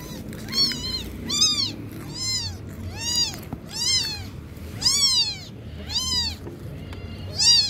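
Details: Kitten learning to walk mews repeatedly, high arched calls that rise then fall, about eight in under eight seconds at uneven spacing, clear and insistent over faint low rumble.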